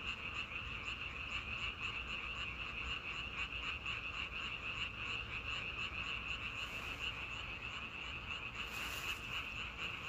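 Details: Chorus of frogs in a natural setting, a steady stream of fast, rhythmic high-pitched croaking pulses without pause, with a short noisy burst near the end over a constant low rumble.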